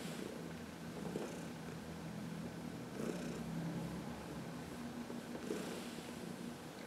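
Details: Heidi, a senior cat of 14 adopted from the Humane Society of New York City, content during a sunny massage on March 19, 2021; faint rhythmic rumbling under a steady low background hum.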